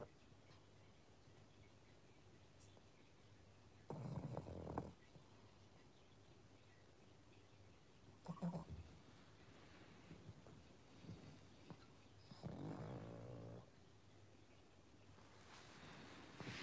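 A sleeping pug snores in low, rumbling bursts, with quiet pauses between breaths.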